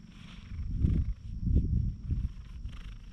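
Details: Docile community cat, petted while sunbathing outdoors in Japan, filmed on a GoPro HERO8; a close, low rumbling purr swells in pulses roughly every half second, with faint rustling and a thin steady high whine.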